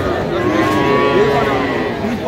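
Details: A Sahiwal bull calf moos at a crowded cattle market while a Dhaka farmer haggles over price, 17 October; one long, wavering, tonal low in the middle, with people talking throughout.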